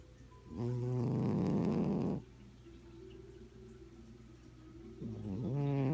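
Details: A content domestic cat snoring while napping under a blanket: a loud, rough, buzzing snore lasting over a second, a quieter humming breath, then another snore beginning as the next breath rises.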